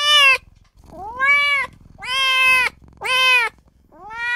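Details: Tiny newborn kitten calling for its mother and owner with loud, insistent meows, one roughly every second. Each cry is drawn-out and nasal, bending up then down, with brief quiet gaps and a faint low rumble between them.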